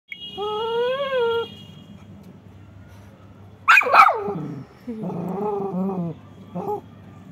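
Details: Lhasa Apso dog that wants to play with a rabbit gives a drawn-out, wavering whine. A sharp noisy burst comes midway, then another rising-and-falling whine and a short yip, over a low steady hum.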